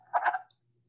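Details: A wood frog from the Rouge River watershed, Michigan, gives a brief, hoarse, duck-like clucking call of a few quick pulses.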